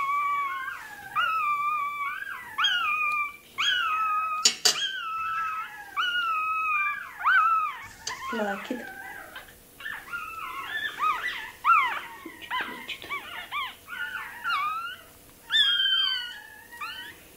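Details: Toy terrier puppies yelping and whining during tail docking, shrill descending cries in quick series, with a sharp click and people talking indoors.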